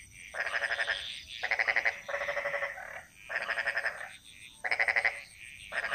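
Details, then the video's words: Bali jungle frogs calling: grating, pulsed croaks in bursts under a second long, separated by short gaps, one answering another, with a thin continuous high hiss behind them. "Frog Mantras - Relaxing Sounds Of Bali"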